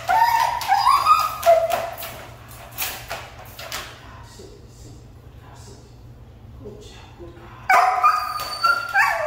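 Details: Siberian Husky, called hard to train, whines and yips in bursts at the start, falls mostly quiet with a few soft sounds, then resumes loud wavering cries near the end.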